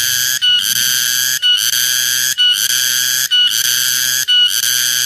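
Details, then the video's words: Shrill cicada call, locally named tonggeret, garengpung or keriang. Five loud, rasping buzzes, each close to a second long, are divided by brief gaps, with a faint low-pitched hum beneath. "Suara tonggeret/ garengpung/ keriang"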